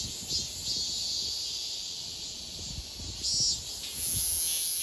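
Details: Cicada song recorded in Donghae, South Korea, for a 2022 cicada sound archive: a dense, continuous high-pitched buzz, rising in loudness near the end, with a faint low rumble beneath.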